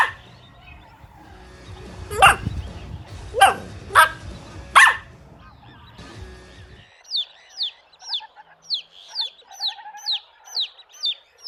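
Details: Playful puppies tussling over toys on a grassy lawn: four sharp, harsh barks spaced about a second apart over low rumbling background, then a steady series of bright chirping notes takes over the second half.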